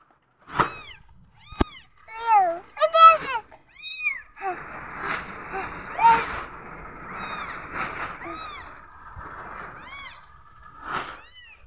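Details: Newborn kittens meowing when they feel insecure: several high, thin, arching mews, often overlapping in quick bursts, with a steadier stretch of noisy rustling and softer mewing in the middle.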